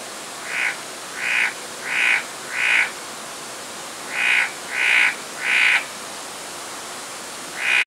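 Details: Forest green tree frog calling: a steady series of short, evenly spaced croaking notes, about one per second with a brief pause midway, over constant hissing background noise.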